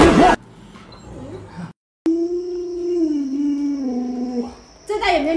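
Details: Luoluo, a pet Alaskan Malamute, begging for watermelon: after a brief burst of voices, a long, steady, nasal whine of almost three seconds that dips slightly in pitch, over a faint high continuous tone.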